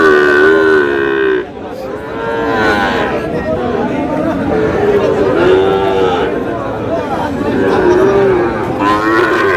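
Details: Sahiwal bull calves being bought at a crowded cattle market in Bangladesh; several long, wavering moos spaced a few seconds apart over constant background crowd noise and voices.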